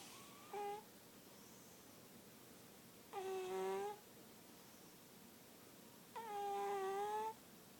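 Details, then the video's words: Lily Bean, a sleeping cat, snoring: three whistling, tonal snores, one short and two longer, spaced about three seconds apart, with a quiet room hiss in between. "Snoring cat"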